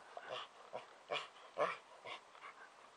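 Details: Twelve-year-old male chocolate Labrador Retriever, happy that summer is back, rolling in a favourite clover patch, panting in quick breathy bursts about twice a second.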